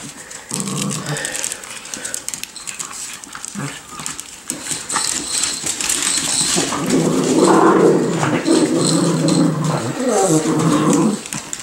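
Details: Nine-week-old Miniature Schnauzer puppies playing with a toy, giving a run of low, rough growling and whimpering sounds that build in the second half, with scuffling and a woman's voice at the edges.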